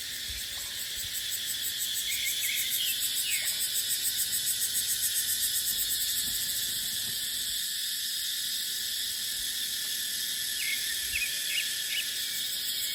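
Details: Cicadas in dipterocarp forest in the dry season: a loud, shrill, continuous droning buzz with a slight pulsing in the early seconds. A few short bird chirps come at the start and again near the end.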